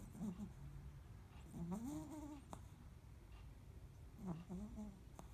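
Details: Preston, a Cavalier King Charles Spaniel, snoring: squeaky, whistling nasal tones that rise and bend with each breath, roughly every two and a half seconds, over a soft low rumble in a quiet room.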